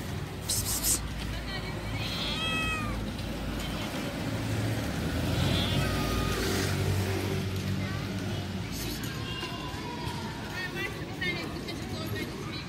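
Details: A cat gives drawn-out, bending meows at several points, some rising then falling, over steady talking and low background music with a constant low hum.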